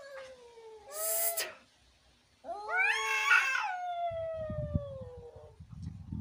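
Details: Cats in a fight, one giving a low drawn yowl and a short hiss, then a rising, quavering howl that slides downward, with some low thumping noise near the end.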